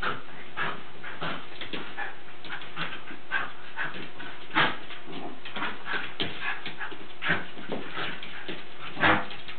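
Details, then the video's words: Lakeland Terriers playing together, in what may be harmless play: short rough growly bursts and yips come in uneven clusters, some louder snaps standing out, over a steady low indoor hum. "Lakies playing 2"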